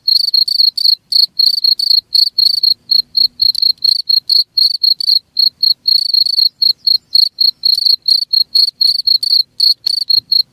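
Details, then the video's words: Shrill, evenly spaced cricket chirps around four per second, each a brief trilled burst, over an otherwise quiet background. "SUARA JANGKRIK"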